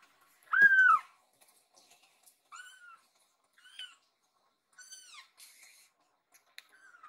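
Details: Rescued baby kitten, indoors, climbs onto its owner lying tired on a sofa and calls out as if worried. One loud, falling meow, then several softer, shorter mews spaced about a second apart in a quiet room.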